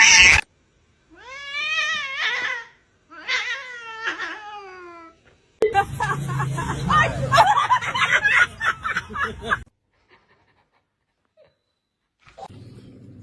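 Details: Domestic cat meowing in two clear rising-then-falling cries, followed by a burst of loud noise and rustling, then near silence with a faint voice at the end.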